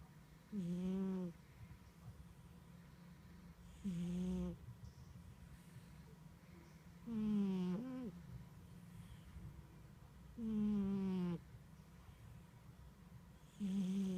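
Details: Snores from a sleeping cat, five strong rasping breaths with rich harmonics at a steady rhythm of about one every three seconds, one of them doubled, with quiet pauses between.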